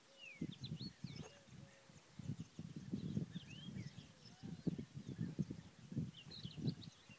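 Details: Wild boar at Nahal Issachar, Israel, give a run of low, rough grunts, with small birds chirping in the background.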